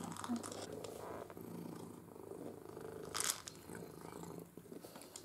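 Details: Male pet cat purring indoors during play with an interactive ball feeder; even rumbling purr throughout, broken by occasional clacks and rattling.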